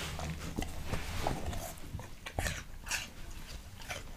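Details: Leonberger dog eating an apple, with crisp crunching bites and wet chewing in quick irregular bursts, close up in a quiet indoor space.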